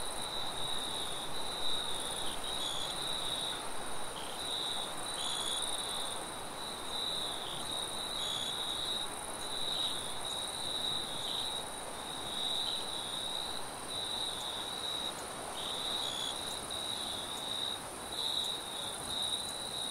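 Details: Crickets in a forest at night, a steady high-pitched trill broken into uneven pulsing bursts with a fainter, higher shimmer above, over a constant broad rush of wind.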